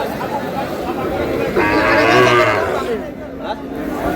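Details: Sahiwal bull calf at a cattle market in Noakhali, Bangladesh, on 24 April, bought by a farmer. One drawn-out, harmonic moo swells and fades in mid-recording, surrounded by crowd chatter and men talking about the price.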